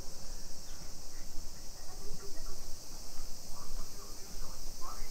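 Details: Cicadas in summer in a Nisshin neighbourhood near Nagoya, Japan, 2 PM, 28 July 2021; an unbroken shrill buzzing fills the air while faint chirps and distant murmurs sit beneath, over a low background rumble.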